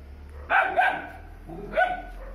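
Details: Three-month-old Doberman puppy guarding the home at night: two quick sharp barks in close succession, then a third bark after a brief pause, over quiet background.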